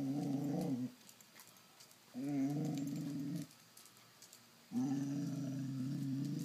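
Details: A Basset hound gives three long, low, wavering moans, begging for treats.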